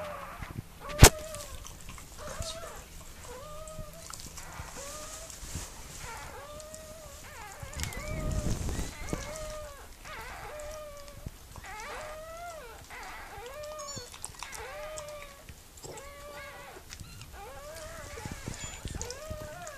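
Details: During the birth of Mirella's puppies, a Miniature Pinscher's whimpers come as a steady series of brief arched cries, regularly spaced about a second apart, with a low rumble and a click early on.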